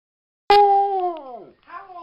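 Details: Siberian Husky howling in a vigil for the Whistler 100: one drawn-out tonal howl that holds steady, then sags and falls away, followed by a shorter, softer second note that rises slightly before fading.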